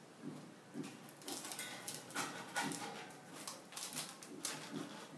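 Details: A male Basenji gives a run of excited, whining yelps and yodel-like cries, repeated every half second or so, happily wagging his tail on spotting a squirrel outside the window.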